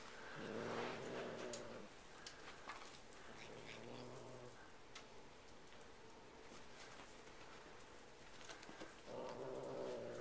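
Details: Bengal cat guarding a freshly acquired feather toy, growling like a dog. Low, throaty rumbles come in bouts at the start, middle and end, separated by scattered clicks, rustling and soft background room noise.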